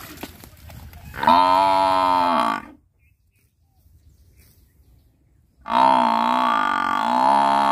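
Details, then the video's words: Buffalo calling twice: a loud moaning bellow of about one and a half seconds, a silent gap, then a longer wavering bellow, with faint low rumbling before the first call. "Buffalo Sound"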